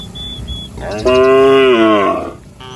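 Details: Cattle from a herd roaming a village street, one long harmonic moo lasting about a second, steady then falling slightly at the end, with faint background noise.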